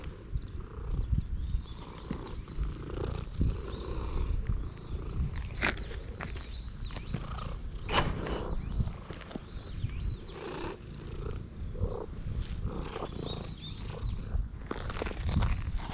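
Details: Stray cat at a temple after dashing straight toward a person, recorded on a GoPro HERO8: steady low rumbling purr through the clip, with short high arched chirping notes above and scattered rustles and handling knocks.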